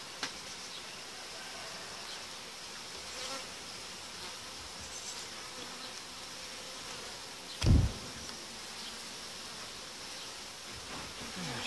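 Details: Steady, low, diffuse buzz of honey bees during the uniting of colonies, once the dividers placed five days earlier are removed; a single sharp knock partway through.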